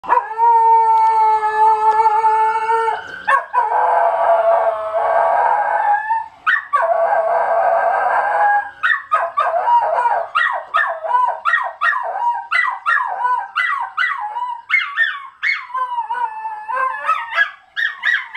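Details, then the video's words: Male Miniature Schnauzer at home howls in wavering, yelping notes, answering a passing emergency vehicle siren, as he does whenever they pass the house. "Rocky, the miniature schnauzer, howling at emergency vehicles"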